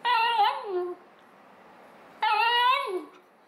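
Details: Two pet Basenjis, a male and a female, vocalising indoors for their owner: two drawn-out yodelling howls, each about a second long with a wavering, falling tone, separated by a pause, the room otherwise quiet.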